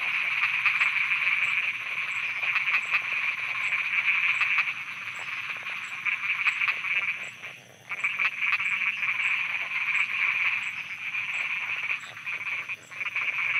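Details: Night chorus of frogs in Thailand, a steady wall of rapid, rattling croaks that briefly drops away near the eighth second before resuming, while a soft high-pitched ticking pulses regularly throughout.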